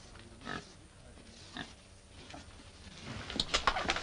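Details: Male wild boar mounting a domestic sow in heat during mating; a few soft, brief grunts early on, then a rapid cluster of sharper squeaky grunts toward the end.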